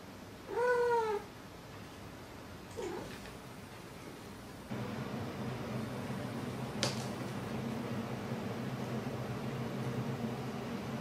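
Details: Maru, a pet cat, hailing its owner indoors: one loud, slightly falling meow with rich harmonics, then a short fainter meow. A steady low hum fills the rest, with a single sharp click.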